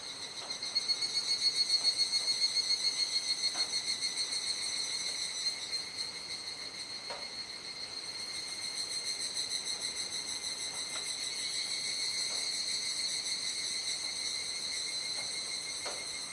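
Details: Cicadas chorusing at dusk in Kuji, Iwate Prefecture, Japan, on 17 July 2017 around 19:11–19:25, during the rainy season. The singers go gradually quiet as the sky darkens. A dense, steady, high-pitched shrill drone, with fast pulsing in the opening seconds, continues throughout.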